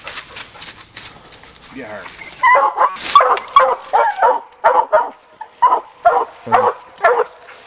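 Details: Young Black and Tan coon dog Sadie, hunting raccoon, barks in a steady string of about ten hoarse bawls, roughly two per second, after a few seconds of rustling and a human voice.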